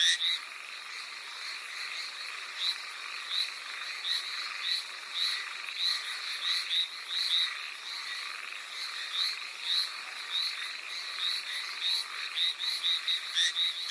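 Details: Hallowell's tree frogs calling in the rain on Amami Oshima, Japan: a dense chorus of rapid, high, raspy notes repeated many times per second, several frogs overlapping, with steady rain hiss beneath.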